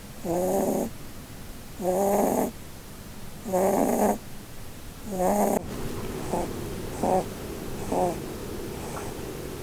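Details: Sleeping female Holland Lop named Blueberry, dreaming under a Christmas tree. Four strong, buzzy snores come at even spacing, then the sound shifts to shorter, fainter snuffling breaths.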